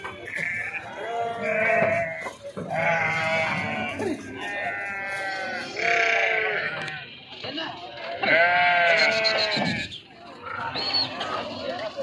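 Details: Flock of sheep jumping off a vehicle while unloading at Pattikonda market in Kurnool district, Andhra Pradesh, India; loud harmonic baa calls, each about a second long, come in bursts every couple of seconds amid human voices and market bustle.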